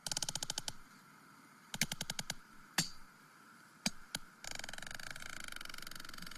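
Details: Sperm whale clicks, likened to Morse code: sharp broadband pulses in rapid bursts, then a dense run of steady clicking, used for echolocation and with complex, language-like structure.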